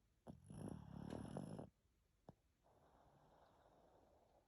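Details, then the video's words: Greta, a Pekingese dog, snoring indoors after a shower: one rough, rasping snore lasting over a second, then quiet breathing with a single short click. "Грета храпит после душа"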